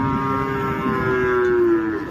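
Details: Cattle described as raging and hard to control gives one long, steady moo lasting about two seconds, a deep tone rich in harmonics that sags slightly near the end, over constant background noise.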